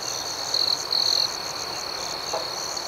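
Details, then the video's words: Crickets chirping at night in an outdoor setting: a steady high-pitched trill with a pulsing upper band, and two louder, nearer bursts of chirping in the first half, over soft background hiss. "Soothing Cricket Sounds"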